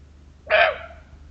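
A muntjac gives a single sharp, hoarse bark that cuts off abruptly.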